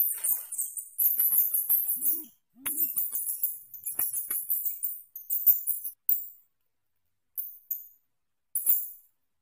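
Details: Asian house shrew (Suncus murinus) gives very high, rapid, sharp chittering bursts, each about a second long with brief pauses and a couple of faint lower squeaks early on; the recording is used as song-tutoring for white-rumped shamas.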